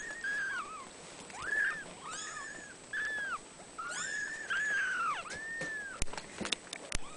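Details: Abyssinian kitten giving a string of thin, arched mews, some bending down at the end, about eight in all, followed by a few sharp clicks and knocks.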